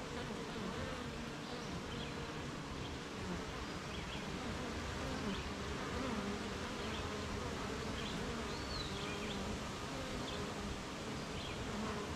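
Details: Honey bee colony humming outside its hive on a rainy morning, surrounded by gardens, farms and fields; a constant grainy low buzz under a hissing background, with sparse distant bird chirps and a brief whistled note.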